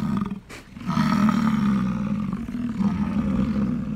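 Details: Rutting bull American bison roaring to draw females: after a brief pause, a sustained low guttural bellow rolls on for about three seconds, rough and droning.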